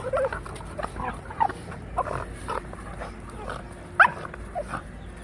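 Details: Fight between a Labrador puppy and a Rottweiler, with scattered short growls and yelps and a sharp high yelp around four seconds against low background rumble.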